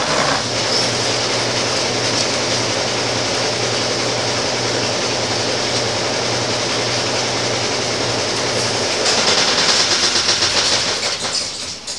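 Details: Continuous broadband rushing noise with a faint low hum and some rattling near the end is all that is heard, with no animal voice.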